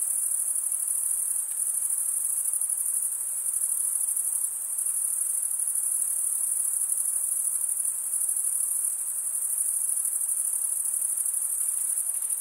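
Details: Steady high shimmering trill of crickets, the males stridulating with comb-like wing teeth; the chorus barely varies over the whole stretch, with only slight dips in loudness and a quiet background.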